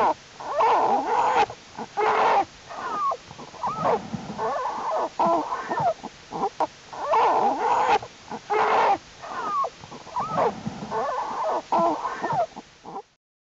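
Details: Jewel's American black bear cubs, stronger by the day, active in the winter den on a warm January 31, 2012; wheezing, moaning cries in rhythmic bursts, some with bending upward-and-down tones, separated by brief silences.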